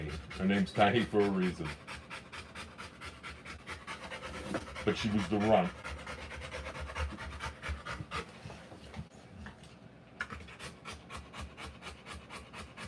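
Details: Rottweiler in labour giving birth to puppies, after a few seconds of human voices, breathing in fast, soft, raspy pants, roughly three per second, steady to the end.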